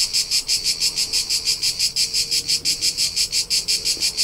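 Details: Summer cricket in the Tuscan hills of central Italy, chirping in an even, shrill pulse close to three beats per second, with a soft low hum far in the background.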